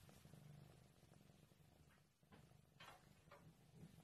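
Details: Quiet low purr from a Maine Coon cat, the steady vibrating rumble briefly dipping mid-way, with a few soft brushing sounds on top.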